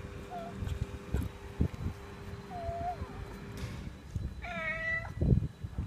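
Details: A cat eating chicken bones gives short, faint mews, then a clearer drawn-out meow near the end, over loud crunching, gnawing and clattering of bone being chewed.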